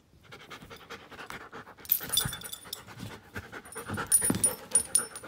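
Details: Klara, a giant schnauzer aged one year and five months, pants in quick breathy rasps that grow louder halfway through, with thin high squeaky tones flickering above near the end.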